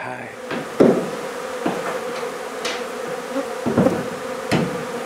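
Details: Honey bees at a hive inside a barn wall in La Feria, Texas, during hive removal: a steady low buzzing hum of many bees, broken by repeated hammering and knocking from the work.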